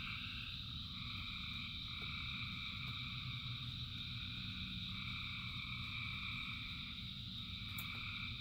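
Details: Thousands of frogs calling together in rain: steady layered trilling bands, high and mid-pitched, overlapping without pause, over a constant low rumble of rainfall.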